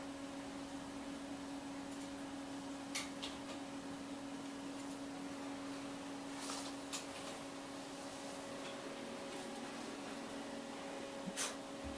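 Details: Quiet indoor room with a steady electrical hum and a few faint taps, and no animal sound.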